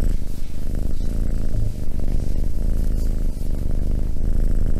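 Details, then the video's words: Cat purring close up, a dense low rumble that runs almost without a break, pulsing with each breath and dipping briefly near the one- and three-and-a-half-second marks. "Cat purring"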